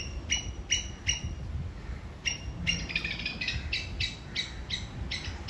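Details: Sri Lankan squirrel signalling towards an enemy: sharp high chirps, first spaced, then coming faster in a run, partly masked by low background rumble and a steady high hiss.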